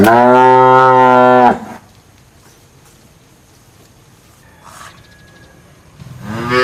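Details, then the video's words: Cow letting out a loud, steady moo lasting about one and a half seconds. Near-silence follows, broken by a faint click, then another moo begins at the end. "Tiếng con bò kêu ỤM BÒ/ The sound of a cow mooing"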